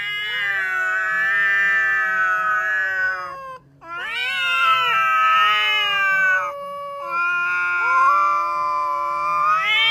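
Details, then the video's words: From a compilation of cats and kittens meowing loudly: three long, sustained, yowling calls, each a few seconds long and separated by short gaps, steady in pitch with slight wavering and bright harmonics. "Funny Cats and Kittens Meowing Compilation 2021.Sounds cats."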